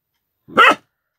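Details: A Central Asian Shepherd Dog (Alabai) puppy whose voice has just appeared gives a single short, hoarse bark, seemingly listening to its own new voice; recorded 28 January 2018.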